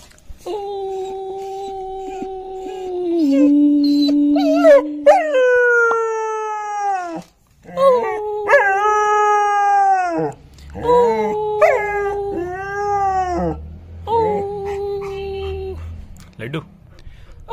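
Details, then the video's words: Five-month-old long-coat German Shepherd puppy, a male, howling indoors: long steady mid-pitched wails with rich overtones, some dipping at the start, repeated in a string of drawn-out notes separated by short breaths. "German Shepherd Puppy Howling!!!"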